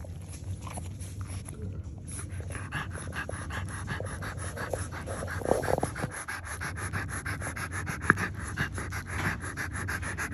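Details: French Bulldog with a litter of newborn nursing puppies; quick, breathy panting pulses run steadily through the whole stretch over a low constant hum, with a few soft clicks and rustles.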